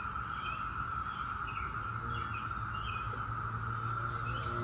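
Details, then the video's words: A constant, even drone from a massed Brood X 17-year cicada chorus, overlaid by brief repeated chirping bird notes above it and faint low-frequency hum. "17-Year Cicada Brood X Sounds"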